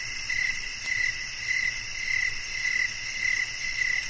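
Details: Cricket chirping as a sleep and relaxation nature sound: short clear chirps repeated about every half second, roughly seven in four seconds, over a steady high insect hum.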